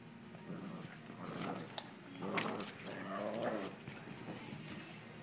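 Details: Two Boston Terrier puppies playing indoors, giving soft growls and whiny, grumbling vocalizations in short bursts, loudest around the middle, against a quiet household background.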